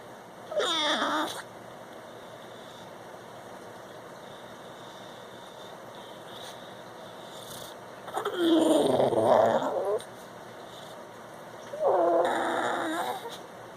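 An English bulldog gives three wavering, nasal whine-like wails separated by quiet pauses.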